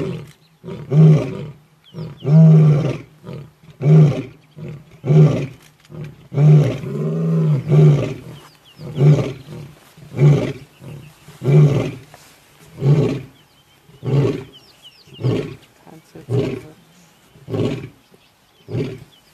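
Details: Male lion vocalizing beside a kill at Lion Sands in the African bush: a long series of short, deep, throaty grunts, evenly repeated about every second and a quarter, with a brief louder moan midway.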